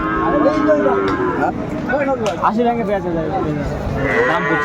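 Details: Sahiwal cows with calves for sale at the Aftabganj market, Dinajpur, 14 December 2024: a higher, strained moo near the end, amid background music, market chatter and voices.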